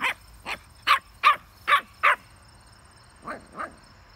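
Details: Puppy playing with a basketball, giving short, sharp barks: six in quick succession about every half second, a pause, then two softer barks near the end.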